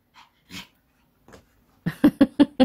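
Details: Pet dog growling during an indoor ball game, a quick run of five or six short, rough pulses about a fifth of a second apart after a few soft breaths and faint indoor noises.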